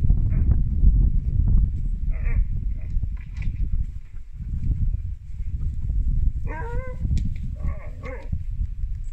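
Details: A male Siberian Husky puppy gives wavering, yodel-like "woo woo" howls, inviting his big sister to play zoomies. Heavy low rumbling noise runs underneath.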